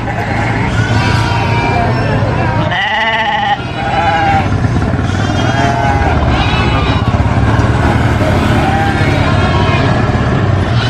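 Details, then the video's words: Baby goat on a farm giving loud, harsh, wavering bleats in repeated bursts. One drawn-out scream-like cry falls and wobbles near the three-second mark. A steady low rumble, like an engine, runs underneath throughout. "SCREAMING GOAT BABY GOAT VIDEO FUNNY GOAT SOUNDS"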